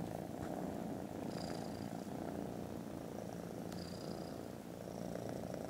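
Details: Loud continuous purring from contented foster kittens dozing after lunch, a deep even rumble with no pauses, and brief faint high whistly tones drifting in over the top.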